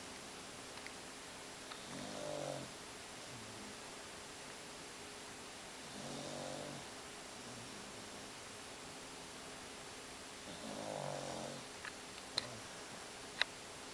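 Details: Sleeping Beagle snoring indoors, three soft rasping breaths spaced about four seconds apart, low harmonic rumble with a few faint clicks between snores.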